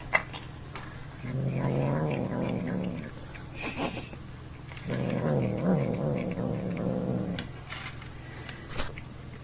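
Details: Neighbour's male domestic cat making weird sounds while eating; two long low harmonic growls of about two seconds each, separated by clicks and chewing noises, with a faint hum beneath.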